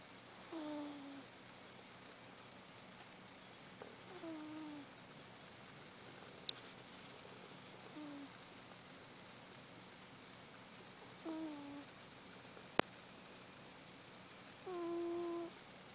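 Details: Sleeping cat snoring, each breath giving a short whistled, falling nasal tone with a faint overtone, repeated about every three to four seconds in a quiet room. A few soft clicks are also heard.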